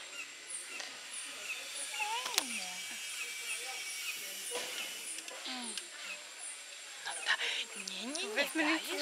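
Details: Orphaned baby howler monkey at the Jaguar Rescue Center, Costa Rica, crying while held: a few thin, wavering whistled cries sliding downward, spaced several seconds apart, with shrill insect chirps in the background and soft voices nearby.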